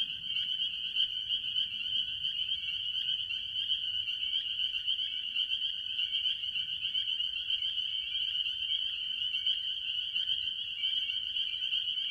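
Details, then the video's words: At a farm pond early in the year, a mass of tree frogs, mostly spring peepers, calls together. A constant bright, ringing drone of overlapping peeps, with quick lower repeated notes and a faint low rumble. "Relaxing Tree Frog Sounds - Spring Peepers"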